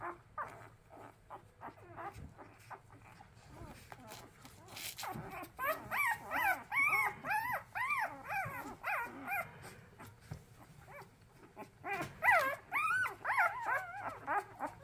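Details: Hungry orphaned puppies, which lost their mother before their eyes opened, on their second day of hand-rearing: a chorus of high, arching whines and squeals repeated in rapid bursts, rising then falling, with soft rustling and a faint low hum.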